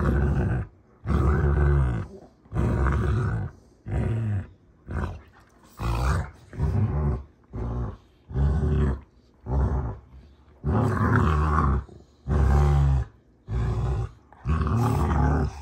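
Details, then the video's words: Two Rottweilers, June and Kenai, wrestling in play, with deep throaty growls and roars coming in steady bursts about once a second. "Rottweiler WWE SMACKDOWN! (June Vs Kenai)"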